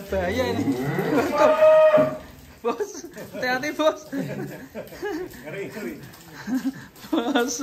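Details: A giant cow in an Indonesian cattle pen lets out a loud, tonal moo lasting about two seconds, swelling and then ending on a steady held note. A man talks and laughs through the rest.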